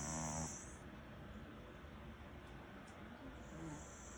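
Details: Snoring Maltese-Shih Tzu cross named Ddudu, asleep after work; a short harmonic snort opens, followed by quiet, low, rhythmic snoring breaths with faint clicks in between.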